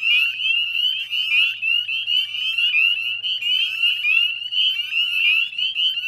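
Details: A dense chorus of male northern spring peepers at dusk, 9:08 p.m. on 18 May 2020, from ditches, woodland and backyards beside the salt marsh at West Chezzetcook, Nova Scotia, Canada: countless high, rising peeps overlapping into a continuous shrill ringing.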